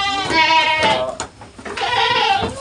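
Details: Goat said to have a cold and a badly bloated belly, bleating on a farm: two loud, wavering, nasal bleats about a second apart, each under a second long, with a brief pause between them.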